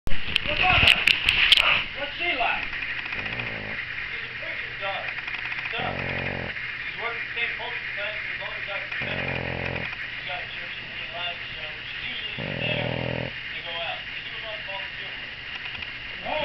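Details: Pug mother Daisy snores heavily while her six-day-old puppies feed. Raspy, low breathing bursts come roughly every three seconds. A steady hiss runs underneath, and brief sharp squeaks sound near the start.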